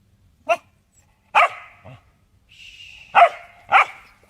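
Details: Corgi dog barking: four sharp barks at uneven intervals over about four seconds, with a drawn-out whine linking the later barks, in an otherwise quiet setting.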